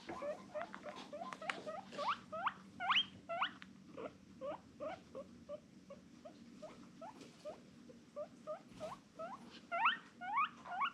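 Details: A female guinea pig gives a rapid series of short, rising squeaky whistles, almost two each second.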